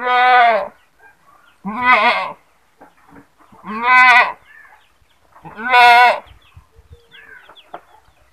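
A goat screams in loud, wavering, nasal bleats, repeated about every two seconds.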